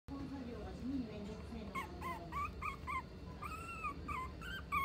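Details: Mixed-breed dog at a pet shop in Nagano, Japan: after a low murmur of human voices, a string of short, high, arching whines and yips follows in quick succession, each with a bright whistled tone, against steady room noise.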